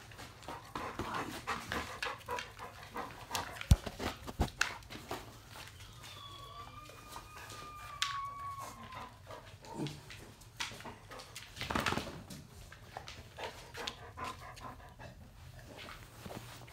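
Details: Labrador Retriever puppies at a breeder's: one long, thin whine holds a steady high pitch for about three seconds and then drops, amid frequent clicks, rustling and soft handling bumps.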